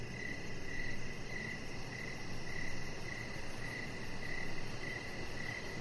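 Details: In the evening outside on a deck lit with decoration lights, crickets chirp near a chihuahua puppy named Rocket; crisp high chirps recur in a steady rhythm about every half second over a constant low hum.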